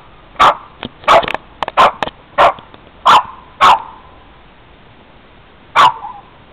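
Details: Boston terrier barking while attacking a van: sharp, loud barks, two or three quick ones in a burst, then singles about every half second, then a pause of two seconds before one last bark.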